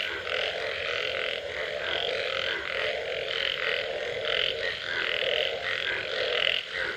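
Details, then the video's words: Frogs calling after rain: a dense, continuous chorus of rasping croaks, with a low throbbing pulse about once a second beneath a bright, buzzy upper layer. No other sounds stand out. "Unbelievable Frog Sounds after Rain"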